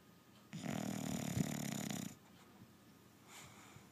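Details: Sleeping dog snoring indoors: one long rasping, low rumbling snore of about a second and a half, followed by a faint, softer breath.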